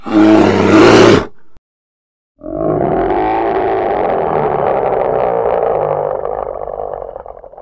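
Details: A short, loud, harsh roar from a polar bear, a pause, then a long, sustained, rumbling groan lasting about five seconds and fading at the end.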